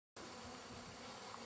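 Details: Wild honeybee colony in a hive being collected, quite active, on the fourth day of work with both ends covered by wood plates; dense, steady buzzing hum fills the recording, with a thin constant high whine above.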